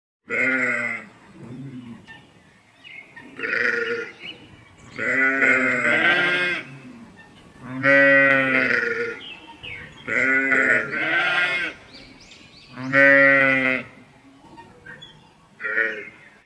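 A sheep bleats repeatedly, each call a wavering, nasal baa lasting a second or two.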